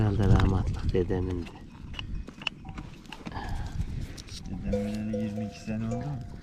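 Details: Male Akkaraman lambs just weaned from their mothers cry out for them, giving a harsh bleat at the start, then a longer steady, level bleat near the end, with murmured voices and farmyard noise in between.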